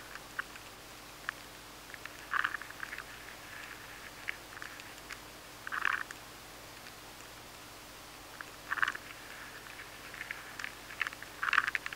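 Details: High-sensitivity recording of an adult maize weevil at home inside a maize grain, nibbling steadily: brief clusters of dry crackling clicks arrive in bursts every few seconds over a quiet hiss, with scattered single ticks between.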